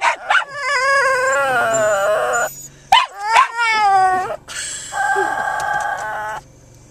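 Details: A 7 lb rescued Japanese Chin, Chey, "talking" from a lap in a parked car so he gets to go on his walk. Long, quavering, singsong whines with rising and falling pitch, broken by brief yelps, with a low engine-like hum beneath.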